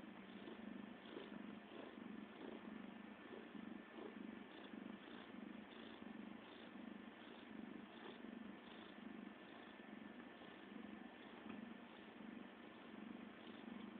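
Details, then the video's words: CeeCee, a pet cat, purring steadily like a motor: a continuous low rumble that swells and eases in regular breathing cycles, about one and a half per second, with nothing else audible. "CeeCee the Purrrrr Ball"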